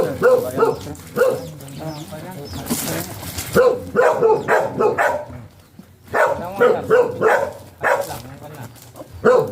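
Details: Stud session of a golden retriever in Sta. Barbara, Pangasinan; bursts of quick barks alternate with speech, a noisy rustle early on and a short quiet gap before the barking resumes.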